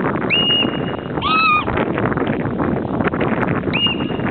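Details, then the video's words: Hoary marmot at Lake Louise in Banff giving loud calls: three short, flat, high whistles, the middle one lower and richer in tone, heard over a steady rushing background noise. "Hoary Marmot Loud"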